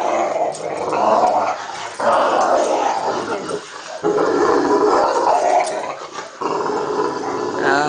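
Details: Kratos, a pet dog, growling while wrestling with his owner; low rumbling growls in long bursts broken by brief pauses, with the owner's voice heard over them.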